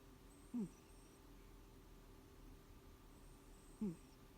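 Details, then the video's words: Housecat Elim Garak sleeping indoors, giving short wheezy snores: two brief low rasping breaths about three seconds apart, each with a downward-sliding tone, quiet room in between. "Snoring or wheezing cat?"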